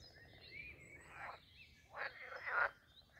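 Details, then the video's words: Pond frogs calling at Castle Aerwinkel in Posterholt, the Netherlands: one croak followed by a louder pair of broad, grating croaks close together, with soft high bird twitters behind. "Talking Frogs and other jungle sounds at the Pond"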